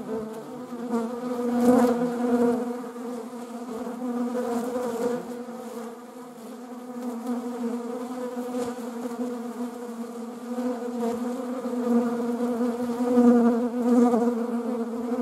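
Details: A long stretch of honeybee buzzing, wasps also about: a constant low-pitched drone of many wings, quieter in the middle and louder again toward the end, with occasional quick close passes.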